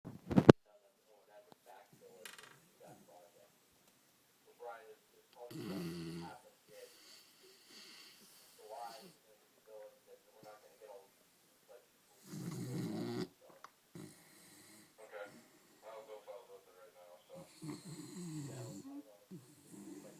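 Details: Pet dog, female, snoring while asleep with her tongue sticking out and eyes half open; three rough, low, drawn-out snores arrive about every six seconds, with soft human voices and small noises in between.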